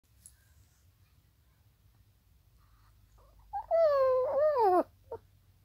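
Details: A Chihuahua, tagged as a puppy, gives a brief, high-pitched howl that starts strong, sags lower and wavers before breaking off.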